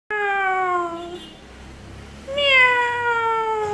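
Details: A Cocker Spaniel gives two drawn-out, steady howls, each sliding gently downward in pitch, in response to hearing a cat's meow imitated by a person.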